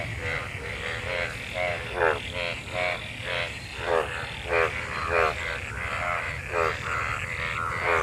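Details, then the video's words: Monsoon-season frogs mating in rain-filled water give grating, pulsed croaks spaced irregularly every second or so, some louder than others, set against a continuous low rumble like distant traffic. "Frog mating,Frog Sounds after monsoon rain,Sounds of toad Croak croak ! frog mating and love in rain"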